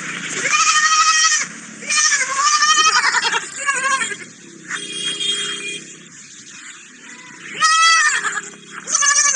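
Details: A baby sheep kept together with a small dog. It gives loud, high, quavering bleats in repeated bursts of one to two seconds, with quieter murmuring between them.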